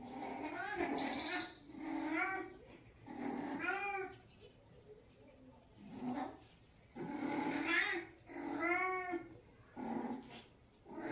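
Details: Domestic she-cat meowing as she grooms her sister inside a room: a long series of short arched meows, about six or seven over eleven seconds, varying in loudness and length, some brief and clipped, others fuller and rising-falling.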